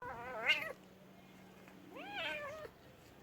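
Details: Domestic cat giving two meows, the first rising then falling sharply, the second a longer arched, slightly drawn-out call, with a faint steady hum beneath.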